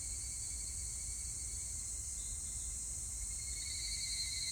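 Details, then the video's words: Evening cicada (higurashi), 25 July 2019: a faint steady tone gives way to a clearer pulsed, ringing trill in the last second, over a persistent high insect hiss. "セミの鳴き声 ひぐらし"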